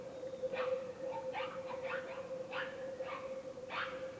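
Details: Wild boars in the Peruvian rainforest, December 2010, giving short, harsh squeals and yelps in quick irregular bursts over a steady insect drone.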